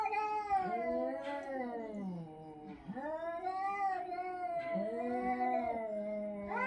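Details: Domestic cat producing a strange call: a continuous series of wavering, moaning yowls, each rising then sagging in pitch, roughly three or four long phrases run together, indoors with little other sound.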